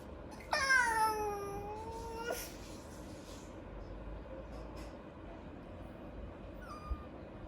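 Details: Japanese Chin puppy, a breed said to rarely vocalize, gives one long drawn-out whine of nearly two seconds that slides down and then holds a steady tone, followed by quiet room noise and a faint short squeak near the end.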